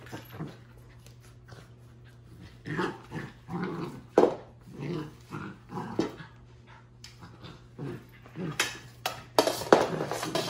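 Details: Energetic young puppy wrestling a broomstick in a home living room: scattered short growls and huffs between sharp knocks, scrapes and rustling bristles, with quiet pauses in between.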